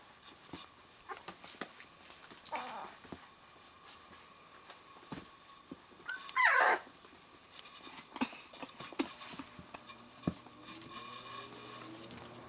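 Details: Puppies eleven days old whose eyes have just opened. One sharp, high squealing whimper rises out of quiet indoor rustling and soft clicks, with a fainter short squeak a few seconds earlier.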